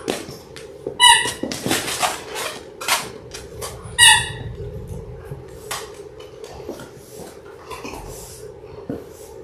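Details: Litter of six Labrador Retriever puppies, six weeks old, born January 18, 2022, in an indoor pen: two brief high-pitched squeaky yelps about three seconds apart, with softer scattered whimpers, rustling and a steady background hum.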